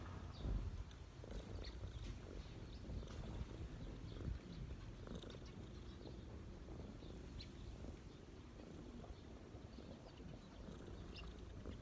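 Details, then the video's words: A low, quiet purr comes from a street cat settled on a person's knees, a soft continuous rumble with a few faint bird chirps in the distance. "cat’s relax on my knees 🐈‍⬛| cat purring"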